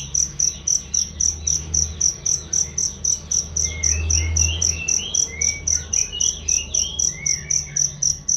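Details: Loud, clear cricket chirps used to train songbirds, a high pulsing chirp about four times per second throughout, with scattered bird twitters in the background and a low rumble near the middle.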